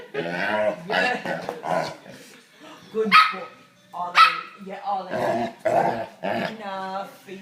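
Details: A Labrador Retriever playing with a puppy makes a run of odd, tonal grumbles, whines and yelping barks.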